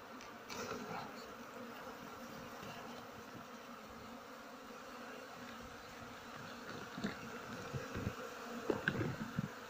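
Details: Honey bees droning as a beekeeper takes another comb from their nest at harvest time; a dense, steady mid-pitched hum runs throughout, with scattered taps and handling knocks growing toward the end.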